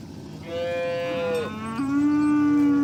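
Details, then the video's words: Oxen being herded along the way to the farm barn, a cow calling friends to the pen: a steady, tonal moo held for about a second, then a lower, louder, sustained moo that continues to the end. "Sounds of Herding Oxen on the Way to the Farm Barn – Funny Mooing Sounds"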